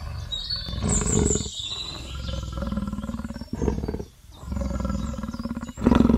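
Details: Leopard roaring: long, low, grating strokes with a rapid pulsing texture, separated by short pauses, while thin high chirping sounds in the background at the start.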